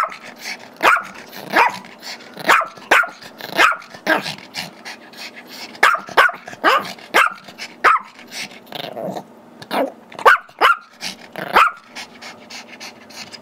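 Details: Playing at home, the Chihuahua/Yorkie mix Gizmo, aged five, barks steadily for the squeaky toy held by Tigger, a two-year-old Yorkie; a long run of high, sharp barks, roughly one a second, with brief growly moments and background hum.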